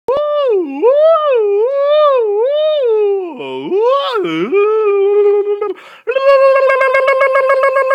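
A Siberian Husky gives a wavering, yodel-like howl that swoops up and down, ending in a buzzy, pulsing whine.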